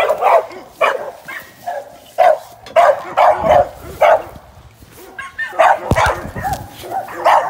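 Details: During training for ADBA shows, a young American Staffordshire Terrier sporting dog gives loud, punchy barks in uneven bursts. There is a quieter pause near the middle, then the barking picks up again, with a few thumps of handling noise.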